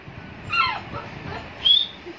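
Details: A 40-day-old Labrador Retriever puppy gives thin, high-pitched yips with a whiny, falling tone.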